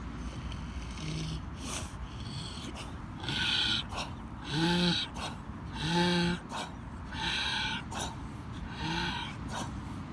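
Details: A sleeping pig snoring steadily, each breath a raspy, snorting rumble, some ending in a short nasal squeal or whine, repeating about every one to two seconds over a quiet indoor background.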